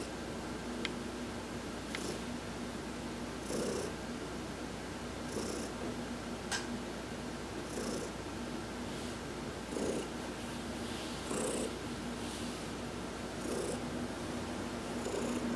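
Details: Heidi the domestic cat purring while being massaged during a sun bath on November 19, 2020; a steady low rumbling purr with soft breathy hisses roughly every two seconds.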